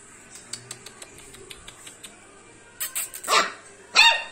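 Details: Labrador Retriever puppies indoors. Light tapping clicks are followed by a few sharp, high yaps in quick bursts near the end.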